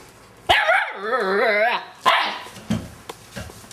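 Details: Siberian husky puppy, seven and a half weeks old, barking at the house cat to show who is boss: one drawn-out, wavering, yowling bark over a second long, then a short sharp yip and a man speaking.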